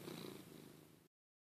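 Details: A low, pulsing purr from Lugosi the pet cat as he tries to get his owner out of bed, lasting about a second before cutting off abruptly.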